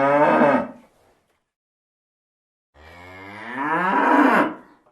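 A cow gives a short moo, then after a pause a longer, rising, drawn-out bellow.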